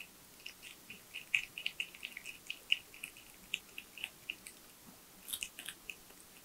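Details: Tree porcupine eating nuts, bananas, sweet potatoes, apples and carrots indoors. Bright crunches follow one another at a quick, uneven pace, with several sharper crackling bites standing out.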